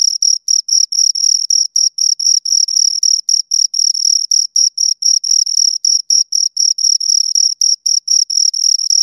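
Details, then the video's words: Two crickets produce a continuous stream of piercing, evenly spaced chirps at about four per second, each a short buzzy scrape, recorded very near with a clean silent backdrop. "Two Crickets Chirp Sounds"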